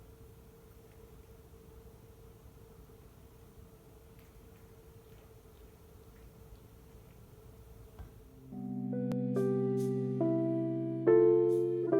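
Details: A quiet room hum holds a steady tone until plucked, keyboard-like music starts and grows louder, with no cat voices heard.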